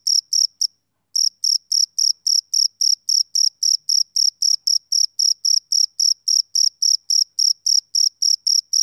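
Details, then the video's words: Male cricket chirping in short, high, clean pulses at an even pace of nearly four per second, with one brief pause about a second in before the steady rhythm resumes. No other sounds. "Cricket Chirping Sound Effect"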